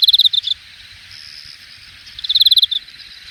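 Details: Late-summer grass insects at Hangang Park's Jamwon district, Korea, in August 2021; two short rapid pulsed high trills, about ten pulses each, separated by a softer continuous buzz.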